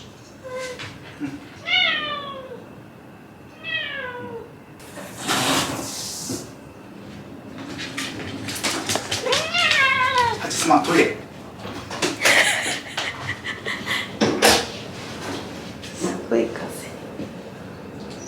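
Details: Shiba Inu Hachi grumbling in dog talk at bedtime, complaining after being kept waiting: rising-then-falling whiny vocalisations near the start, another pair midway, amid rustling and thumps indoors.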